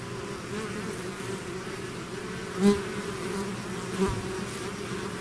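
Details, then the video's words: Bees swarming out of their hive make a continuous layered hum, two short louder buzzes as individual insects fly past the recorder. "bees therapy swarm natural buzzing sound"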